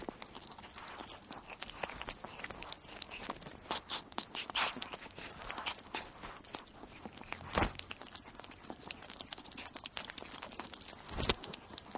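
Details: Crunching and biting noises fill the clip, like something small eating, with sharp clicks scattered throughout and no animal call heard.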